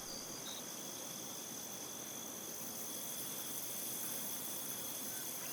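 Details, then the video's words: Steady chorus of crickets in a wheat field: constant high, piercing trills layered over one another without pause, set in a soft rushing hiss, with a couple of short separate chirps near the start. "Crickets in a Wheat Field"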